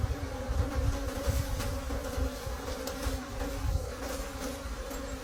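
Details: Wild bees droning at their honey nest in deep forest during the last harvest of the season; a steady humming buzz with a bright overtone, accompanied by repeated low thumps and rustling.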